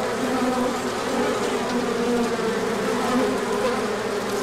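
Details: Bees swarming out in a big orientation flight when the sun came out after a cold stretch, March 2024. A dense, unbroken whirring hum, pitched wing tones weaving through the drone.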